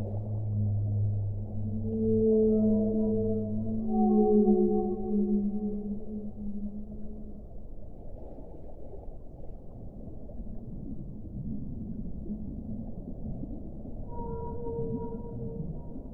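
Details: Whale song: a sequence of long, low, tonal moans with rich harmonics, a deep sustained note overlapped by higher wavering units, a quieter rumbling middle, then a fresh pair of higher tones near the end, all over a muffled underwater wash.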